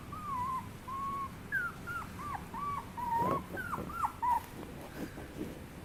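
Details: Chihuahua puppy whimpering indoors: a string of thin, high whines and short yips, some level and some sliding down, coming in quick bursts with brief gaps.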